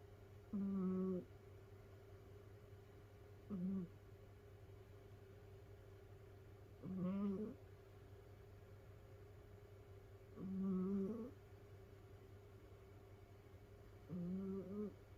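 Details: Sleeping domestic cat from a multi-cat household of rescued cats snoring indoors: nasal, humming snores with a steady low tone, each about half a second, coming roughly every three and a half seconds, five in all, over a faint constant hum.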